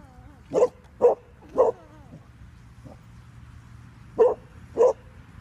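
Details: A Bernese Mountain Dog barks five short, sharp times. Three barks come about half a second apart, then a pause, then two more. Faint wavering whine-like tones sound between barks over a low steady hum.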